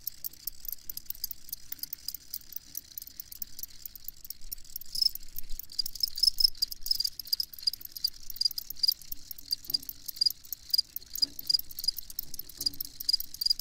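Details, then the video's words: Dense high-pitched chirping of crickets, steady rapid pulses forming a continuous shimmering trill, with a few faint low knocks in the background. "Crickets Chirping"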